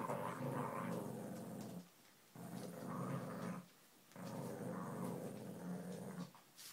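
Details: Mirren, a Lhasa Apso, growling while playing indoors: three long, rough, rumbling growl bouts of about two seconds each, separated by short quiet pauses, with faint background noise.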